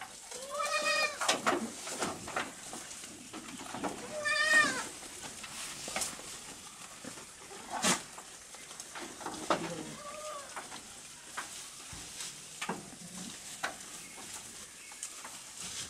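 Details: Small goats on a goat farm, eating food very fast in the evening: short wavering bleats, three clear ones spaced a few seconds apart, over rustling and chewing sounds.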